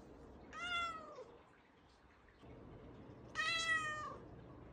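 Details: Talkative Ragdoll cat indoors, two clear meows about three seconds apart, each a bright falling tone lasting under a second, the second louder and richer.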